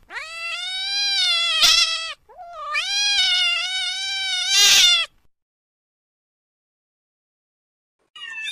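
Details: Long, strained cat meows, two drawn-out wailing calls of about two seconds each with rough bursts near their ends, then silence and the start of another call.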